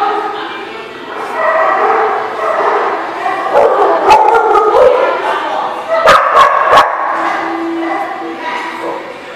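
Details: Several dogs at The Barking Lot, recorded 1/8/18, barking and yipping in a dense overlapping chorus, with a few sharp clicks and human voices in the background.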